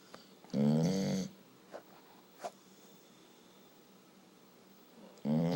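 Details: A very tired dog sleeping indoors: two rough, buzzy snores about five seconds apart, with a few faint soft clicks in the quiet stretch between them.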